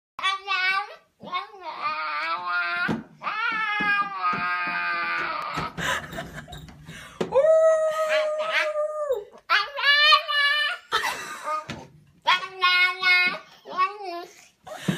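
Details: A Siberian Husky puppy attempts to howl, not quite managing it, giving wavering, squeaky howls that break into yips and yodels.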